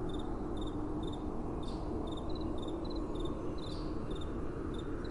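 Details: Crickets calling at night over a soft, gentle wind: bright, high double-pulsed chirps repeat about twice a second, steady and even, above a constant low rumble of blowing wind.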